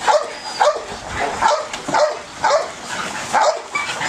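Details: Belgian Malinois with high ball drive giving excited, yelping barks, roughly two per second and unevenly spaced, with whiny overtones.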